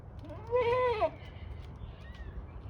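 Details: Kiko goat at Assiniboine Park Zoo, 2023. One loud, wavering, nasal bleat lasting about half a second, over a low background rumble.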